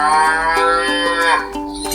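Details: A cow moos in one long, drawn-out call that dips in pitch toward its end, heard over a steady background of soft plucked-guitar music.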